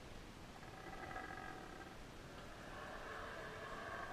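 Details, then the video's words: A male Yucatan black howler monkey in rehabilitation at Wildtracks, howling up close around a feed, gives drawn-out roaring howls over a steady background hiss. Finding: Guatemalan black howler monkey. "Yucatan Black Howler Monkey Feed"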